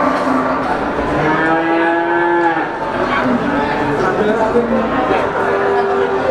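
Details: Brahman breeding cows at Sumberlawang cattle market, Sragen, 2018, lowing together: overlapping harmonic moos, one long steady call in the middle, others rising and falling, against a dense continuous background of market noise.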